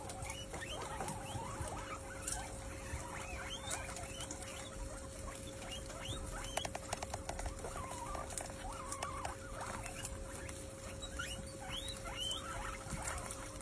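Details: Guinea pigs at a feast, feeding together: short, soft rising squeaks scattered throughout, some in quick clusters, over a constant low hum, with light pattering and rustling from movement and chewing.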